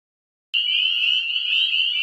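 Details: Dense chorus of many Northern spring peepers in spring breeding season at a small woodland regrowing from an old lot; loud overlapping high peeps merge into a continuous shrill roar, starting abruptly after half a second of silence.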